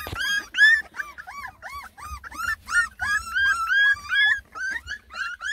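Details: Ten Beagle puppies, a lemon and tricolor litter of Rensie's, fussing at their first taste of food: a steady run of clear, bending whines, each rising then falling, about three per second, in a small indoor space.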